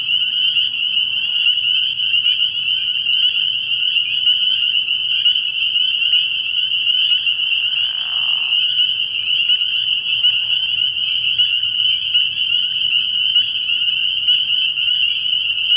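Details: Early-spring night chorus of spring peepers at a frog pond, a constant piercing high peeping from many frogs, with a brief lower raspy call near the middle.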